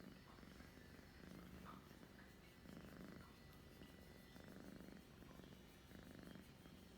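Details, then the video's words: House cat purring steadily in December 2021, a low vibrating rumble in regular inhale-exhale pulses about every one and a half seconds, quiet room otherwise. "my cat purrs and then sneezes"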